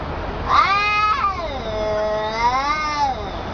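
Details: Angry cat giving two drawn-out, wavering meows: the first rising then falling sharply, the second a long, lower yowl that swells and bends in pitch, rich and nasal, with no other sounds.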